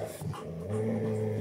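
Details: Golden Retriever playing with a bone gives a low, steady, rumbling growl, quieter and breathier at the start and then holding evenly to the end.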